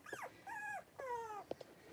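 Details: Three-week-old blenheim Cavalier King Charles Spaniel puppies, a litter of five born at New Year, playing in a puppy pen: three drawn-out whining squeals with falling ends, then a couple of short yips.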